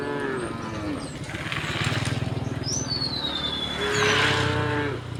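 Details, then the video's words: Tame cows herded across a wooden bridge toward green fields in the countryside, low harmonic mooing throughout, with thin high whistled bird calls overhead and outdoor rural background. "the sound of cows mooing"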